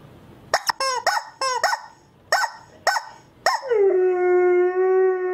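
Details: Husky puppies: a run of short, quick yelps and yips, then one long, steady howl held at an even pitch for nearly two seconds.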